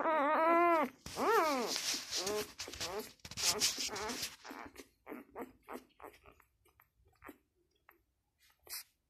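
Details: Newborn Labrador Retriever puppy, six days old, giving two loud arched squealing whines at the start, each rising then falling, followed by rustling, scratchy handling noise and a few faint short squeaks fading out.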